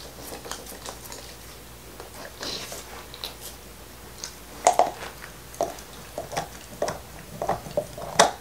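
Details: Nixon the black Labrador Retriever works at a beef bone indoors in 2019. Soft, scattered gnawing and licking give way to louder crunching bites in the second half, all in a quiet room without speech.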